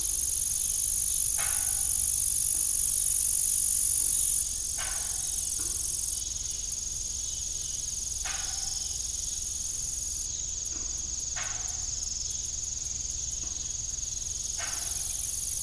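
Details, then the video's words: Old farm ambience at evening with crickets: an unbroken high, buzzy trill that shifts slightly in loudness, and lower creaks recurring every two to three seconds. "Evening Cricket Sound"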